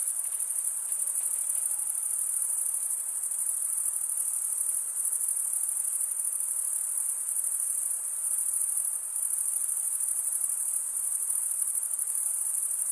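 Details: Continuous chirping of crickets, produced by wing-rubbing stridulation; a dense, high, sizzling trill that holds steady for the whole stretch, with brief slight dips in loudness.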